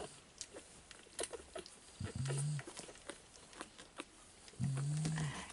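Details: Fawn male Staffordshire Bull Terrier puppy, 34th Staffordland litter, 19/10/2018, asleep indoors. Two low, steady snoring breaths roughly two and a half seconds apart, with light tapping and rustling around them.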